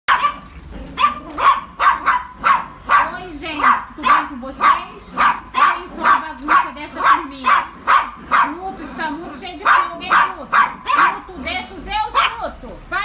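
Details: A frightened micro Yorkshire Terrier gives a fast run of high, sharp yips, about two every second.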